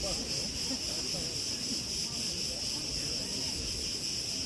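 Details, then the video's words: A steady, high cricket trill from Preveli Beach, Crete, recorded in August 2020, humming on without a break over a low rumble of wind through tree branches. "RELAXING sounds and MEDITATION sounds of crickets"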